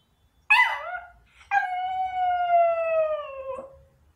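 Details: A long-coat Chihuahua waiting by the front door about an hour after its owner left for work gives a brief yip, then a sustained wolf-like howl, clear and slowly falling for about two seconds.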